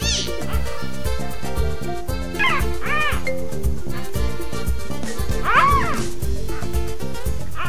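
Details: Clouded leopard cubs at Nashville Zoo, two litters each of one male and one female, born February 13 and March 11, 2012, aged one month and three days; several high arched mewing cries over steady background music.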